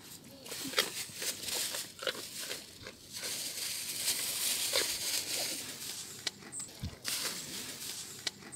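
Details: Young male roe deer in a park eating crunchy carrots, close feeding sounds: irregular crisp crunching clicks, roughly three or four per second, over a steady soft background hiss.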